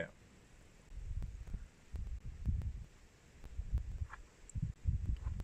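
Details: A cheetah with cubs in the Kruger area, possibly a suckling cub, purrs in deep, throbbing low rumbles that swell and fade in rhythmic bursts, with wind gusting over them.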